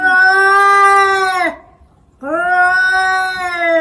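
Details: Cat giving two long, loud, drawn-out yowls, each about one and a half seconds, steady and richly harmonic, dipping in pitch at the ends, separated by a short silence.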